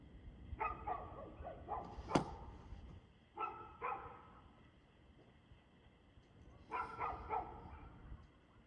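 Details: Dog barking on 2/6/2024 at 6:02pm: clusters of quick, sharp barks, three groups separated by quiet gaps, with a single loud click near the start of the clip and a low steady rumble beneath.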